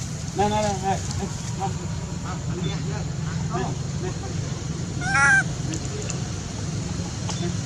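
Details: Baby monkey crying at his mother, screaming to nurse: several separate whiny, bending cries spread across the stretch, one louder wail near the end, all over a constant low droning hum.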